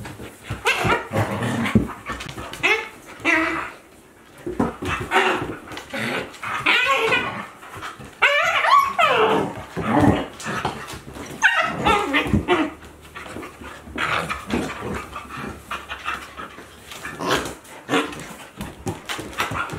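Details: Akita Inu pair Aala, 14 months, and puppy Olavi, 2 months, playing together in 2023: continuous scuffling growls mixed with whines and high yelping squeals that rise and fall, near-constant rough-and-tumble noise with short pauses.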